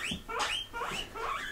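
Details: Household pigs squeak eagerly for grass after recognising the word in conversation. Three or four shrill rising squeals, the first long and climbing steeply.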